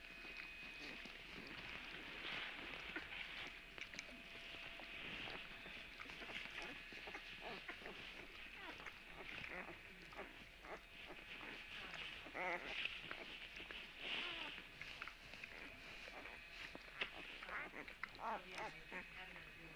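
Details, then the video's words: Several puppies, recorded March 17, keep up a continuous chorus of thin, high squeals and whimpers, some wavering and some short and clipped, over a constant hiss. "Puppy sounds"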